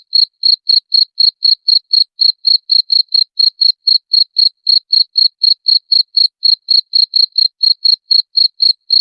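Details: Cricket chirping, played to repel rats: clean, sharp high-pitched pulses repeated about four times a second in a steady, even train with no other sounds.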